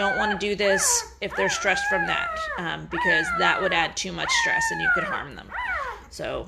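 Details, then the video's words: Noisy Great Bernese newborns, five days old, a cross of Great Pyrenees and Bernese Mountain Dog, give insistent whining squeals that swoop up and fall away, several puppies calling over one another almost without pause. "Great Bernese Puppies are 5 days old and getting noisy!"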